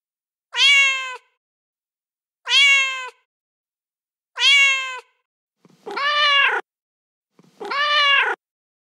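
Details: Angry cat noises meant to frighten rodents: five short meows, the first three clear and matching, the last two rougher and arched, coming about every one and a half seconds.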